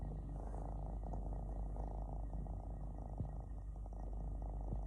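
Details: Relaxing three-legged domestic cat purring: a steady, low, continuous rumbling purr with faint soft clicks throughout.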